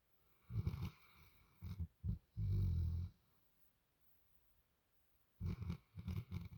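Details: Sleeping dog snoring softly: deep, rough rasping breaths in uneven bursts, a cluster of short snorts, then one long drawn-out snore, a quiet pause of about two seconds, and more short snuffling snores.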